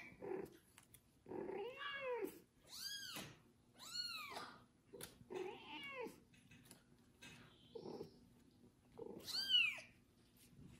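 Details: Kitten Kubik, bathed for the first time and tended by a pregnant foster cat, meows loudly and steadily, clear arched cries roughly every second or two, a short softer squeak mixed in, indoors.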